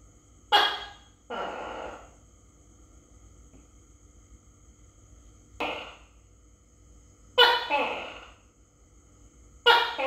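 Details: Phone recording of a Tokay gecko (Gekko gecko) being fed crickets, filmed close up. Harsh, explosive calls, some single and some two-part, recur irregularly, about four in ten seconds, in a quiet room.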